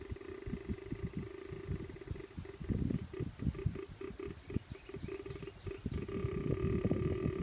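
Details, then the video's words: White-tailed deer buck tending, giving low, rapid, rough grunting pulses, several per second, over a steady low hum with faint higher tones. "Whitetail Buck Tending Grunt and Snort Wheeze"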